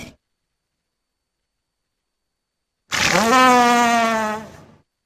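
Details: Walrus giving a single drawn-out, rich harmonic moan lasting about a second and a half. It rises sharply at the onset, then holds a steady, slightly wavering tone before fading out, after several seconds of silence.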